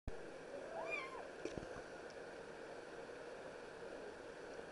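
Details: A seal point Scottish Fold cat gives one short, arching meow over a steady hiss.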